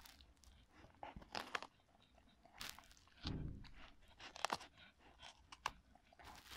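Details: Marti, a Cocker Spaniel, crunching on a pepper indoors in a small room: sharp, irregular bursts of crisp crunching and wet bites, with a louder low thud around the middle and quiet pauses between mouthfuls.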